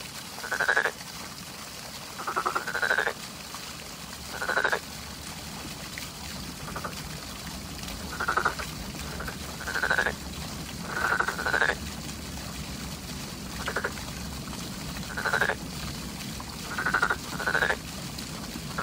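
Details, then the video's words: Frogs calling in spring, short rasping croaks with a pulsed texture, given in bursts of one to two roughly every one to two seconds over a steady low background hum. "개구리 울음소리, Sound of frog & Spring"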